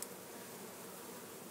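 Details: Defensive honey bees flying at the camera and hands after their nest in a Jacksonville, Florida church wall was cut open; a thick, unbroken swarm hum, steady in loudness, with a small knock at the start.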